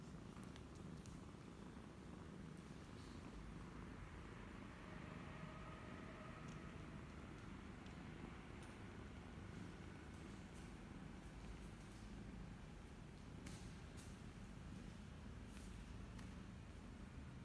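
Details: Continuous low, soft rumbling purr from a cat family in Cambodia: former stray new mother Laki nursing her 28-day-old kittens, 28 January 2020. Steady throughout, with faint clicks and light ticking noises above.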